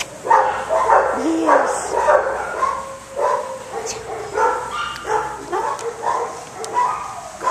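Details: A shelter dog gives rapid, fairly regular short barks and yips, well over one per second, while a person talks to it and praises it.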